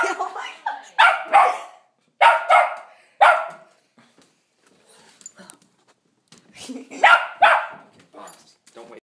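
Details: Dog barking at Santa outside: paired barks in three clusters separated by quiet gaps, loud and sharp, with a woman speaking softly between them.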